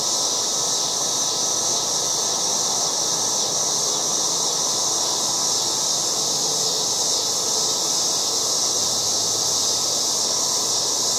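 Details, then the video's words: Loud yard cicadas in August keep up a continuous high-pitched electric whine, unvarying in strength across the clip, with only a faint low rumble beneath. "LOUD AUGUST YARD CICADAS"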